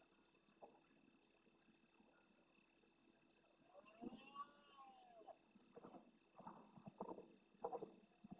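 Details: Big red deer stag roaring hard at the start of the night by the camera in the El Rocío marsh, Doñana National Park, Spain, answering stags farther off. A rising-falling harmonic bellow, then a run of deep grunting pulses, under continuous high-pitched insect trilling.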